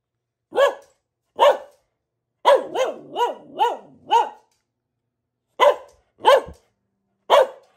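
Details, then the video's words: Pet Boxer, a female, gives loud single barks spaced about a second apart, then a quick run of four bouncy barks, then more separate barks after a pause. "Relaxing Barking from our Dog - Luna the Boxer"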